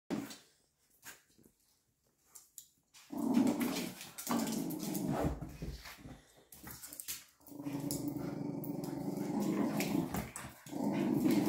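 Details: Two Patterdale (fell) terriers, an adult male and a female pup, growling while playing tug of war indoors: quiet scuffling, then long, rough, rumbling growls in two extended bursts with brief pauses between them.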